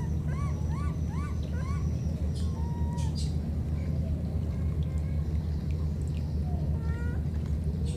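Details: A baby monkey, one of two parted by floodwater, calls out to the other: four quick arched chirps in a row, then scattered thinner cries, beneath a heavy steady low rumble.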